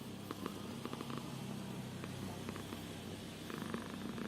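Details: Purring domestic cat, also yawning: a continuous low, buzzy rumble with rapid regular pulses, steady and unbroken, with faint clicks and rustles above it.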